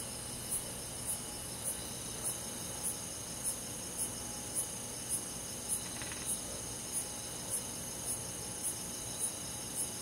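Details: Summer-night chorus of crickets and forest insects in a rural setting. Crisp high pulses tick at an even pace, roughly every half second, above a continuous ringing buzz of several insects.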